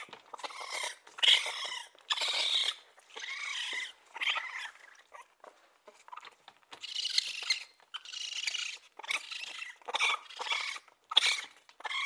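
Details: Raccoon calls in ragged bursts: rasping, hissy squeals with a whiny tonal edge, coming in clusters of one to two seconds with short pauses between them.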